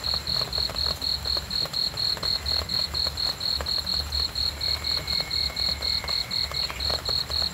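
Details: Night cricket song: regular high-pitched chirps pulsing about twice a second, a faint thin whistle-like tone briefly in the background.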